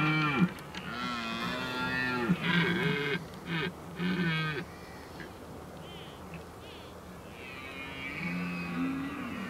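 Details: Red deer stags roaring in the rut, Oostvaardersplassen, 15 October 2011. Series of short, grunting, arched bellows, then a quieter stretch and one long, rising moan near the end.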